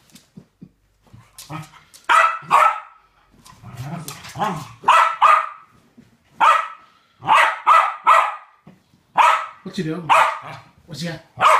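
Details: Two West Highland White Terriers playing a game together indoors; sharp, mid-pitched barks come in quick bursts of two or three, about every second or two, with short quiet gaps and a person's voice faintly between them.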